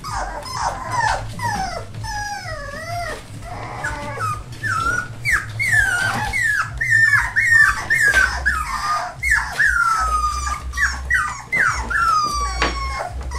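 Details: A litter of four-week-old rescue pups, a Labrador and hound cross from Maryland, cries steadily: many thin, wavering whines that rise and dip, overlapping almost continuously above a constant low indoor hum.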